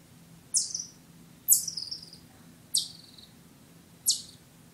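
A chipmunk gives sharp, high chips, each dropping quickly in pitch, about once every second.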